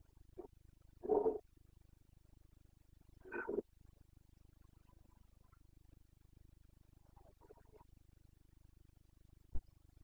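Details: Carpathian stag in Bucovina during the autumn rut, late September: two hoarse roars about two seconds apart, then faint distant grunts and a sharp click against a low background hum.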